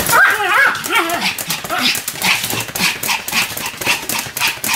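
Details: Two Pomeranians, Sam and Marin, duet-barking: warbling, pitch-bending yelps at first, then a string of short, sharp yaps at a brisk, uneven pace.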